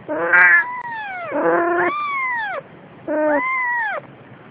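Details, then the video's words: Mother cat carrying her kittens, giving three long meows, each starting high and sliding down in pitch, with short gaps between them. "Mama Cat Carrying Baby Kittens"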